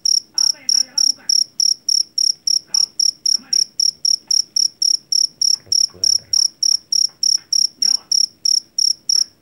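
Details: Field cricket (jangkrik Jawa) caught in a rice field. A rapid train of sharp, shrill chirps runs about three per second, with faint voices and low thumps now and then behind it.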